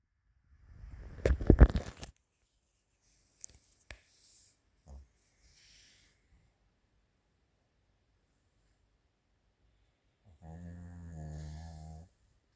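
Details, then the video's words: Chirol, a sleeping female Maltese × Shih Tzu born 22 July 2017, indoors; a rustling burst and a few soft clicks come first, then one low, buzzy, richly layered snore lasting about a second and a half near the end. "マルシーズー ちろる かわいいいびき"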